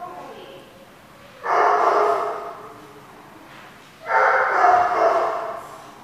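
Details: Dog giving two long, harsh, drawn-out barks or howl-like calls about two and a half seconds apart, each lasting over a second, with quieter background between them.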